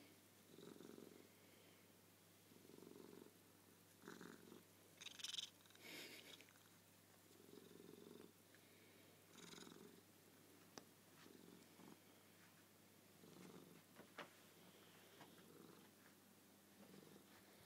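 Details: Suki the cat purring at bedtime, a nightly routine at the same time and place; low, rumbling pulses swell and fade in steady bursts about every one and a half seconds, with a few soft clicks and rustles in a quiet room.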